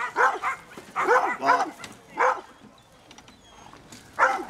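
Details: German Wirehaired Pointer Tyyne barks loudly in harsh, uneven bursts at a mechanical training bear at Koria hunting fair 2011, working from behind and dodging face-to-face to hold the bear in place.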